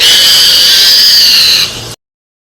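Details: Wild boar being killed by a tiger newly released into the jungle, pinned and dragged off to be eaten: a loud, shrill, sustained squeal holding high pitch for about one and a half seconds, then dropping away abruptly into silence.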